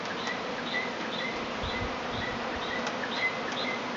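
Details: Swarming honey bees in Tasmania, an early yearly swarm waiting to settle into bee boxes; a continuous thick buzzing drone with soft, rhythmic high ticks over it.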